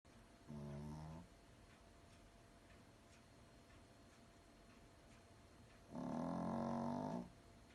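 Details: A small toy poodle sleeping soundly, snoring comfortably: two harmonic, rumbling snores about five seconds apart, each lasting under a second, with a quiet room between them.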